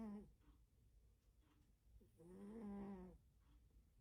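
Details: Indoors, a cat fast asleep produces a booming snore: one drawn-out, grating, harmonic breath lasting about a second, after the tail of an earlier one.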